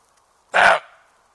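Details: A female roe deer gives a single loud, harsh bark lasting about a quarter second, broadband and rough, against an otherwise quiet background.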